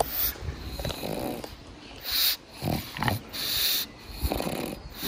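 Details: Pangpang the pug snoring and snorting while napping; wheezy breathy surges about every second, each with a raspy low rattle and hissing top.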